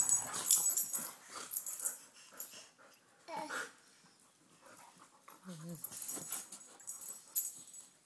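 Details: Domestic dogs play-wrestling indoors as a baby watches from the floor; rapid breathy wheezes, snuffles and snorts recur irregularly, with a brief murmur of a human voice in the background.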